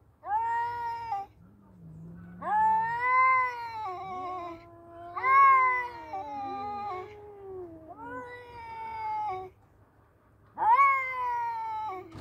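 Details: A pair of male cats in a standoff: a low growl, then a run of strained, wavering howls that swell and fade, the two cats answering one another, over a low background hum.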